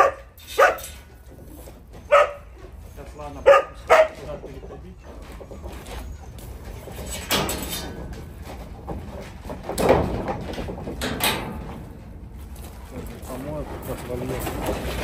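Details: Arctic wolfdogs (volends) eating breakfast in a wolf park, with a young goat for their meal: four short, high, whining yelps in the first four seconds, followed by human voices, music and handling noise.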